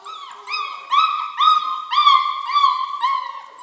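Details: Four-week-old German Shorthaired Pointer puppies from one litter: a string of about seven high, tonal whines, each rising then slightly falling and rich in overtones, repeated roughly twice per second with no other sounds.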